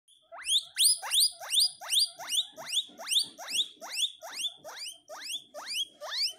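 A guinea pig wheeks loudly, giving rapid, rising squealed whistles over and over.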